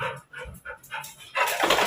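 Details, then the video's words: Frightened Labrador retriever indoors barking at a suitcase it is seeing for the first time: four short, clipped yelps about a third of a second apart, followed by a loud burst of rustling, scraping noise. "Dog Barking At The Suitcase"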